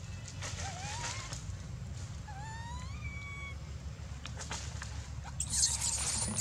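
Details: Baby monkey Dito, screaming with no milk and biting Anya; two rising, whining cries in the first half, then quieter, with a burst of hissy noise near the end and a low rumble throughout.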